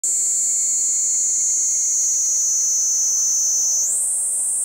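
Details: Kaempfer cicada singing in woodland at Kejonuma, where cicadas have begun calling loudly: a steady, piercing, very high continuous buzz that holds level, then jumps slightly higher near the end, with a faint lower tone beneath.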